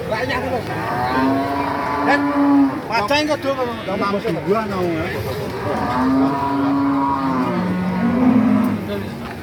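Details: Cattle at the Pasar Pahing cattle market in Nganjuk, East Java: long, steady, low moos from about one to three seconds and again near six seconds, broken by a burst of human voices and market bustle.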